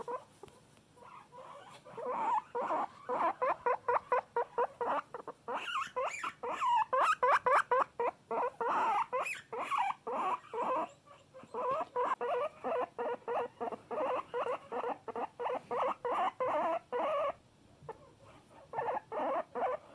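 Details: Loud domestic guinea pig producing long bouts of rapid, evenly pulsed squeaky wheeks, some bursts with higher shrill overtones, pausing briefly between series over twenty seconds.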